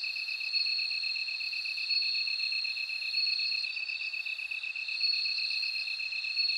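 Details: High, continuous ringing chirr of a bell cricket that swells and fades slightly, layered over a second evenly pulsed insect trill. The background is otherwise quiet.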